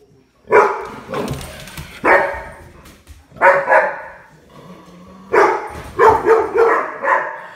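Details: Puppy at play, giving short, yappy barks and rough, growly yips in irregular bursts, mixed with rustling and scuffling noise from the play.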